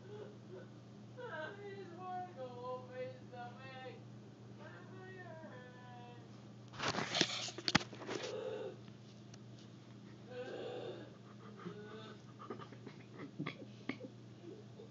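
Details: Inside a small room, a cat gives a quick series of short, quavering mews for the first few seconds. Loud rustling and handling thumps follow, then scattered clicks and scrapes over a steady low hum.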